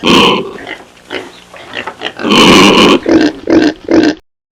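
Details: Pig giving loud, rough grunts and a longer harsh squeal, ending in three short nasal grunts in quick succession.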